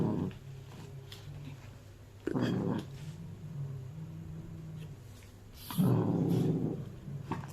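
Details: Angry rescued house cats, one male and one female, both born in 2020, chewing a handmade felt toy indoors; a long low droning growl rises into louder rough bursts, with a constant low hum underneath.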